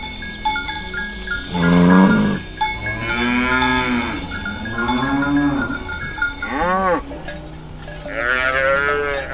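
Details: Morning moos from healthy, fat cattle walking toward the field with a shepherd: several long, deep lowing calls and a shorter higher moo, mixed with clinking cowbells and chimes.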